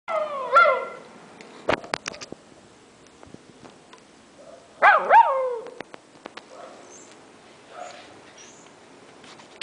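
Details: Alaskan Malamute giving two short vocal calls, each a bright, wavering, rising-then-falling woo with strong overtones, about four seconds apart, with scattered clicks and knocks in between and faint fainter murmurs afterward.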